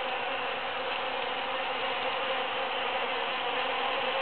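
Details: Bees foraging in huge cactus flowers following the June 22, 2013 Super-Full Moon make an even, continuous hum with steady low tones layered beneath a broad hiss.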